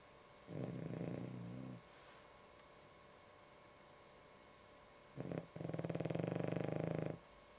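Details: Ešli, a sleeping dog, snoring indoors in a quiet room: two rough, rattling breaths with fast flutter, the first lasting about a second, the second a longer burst near the end, separated by silence.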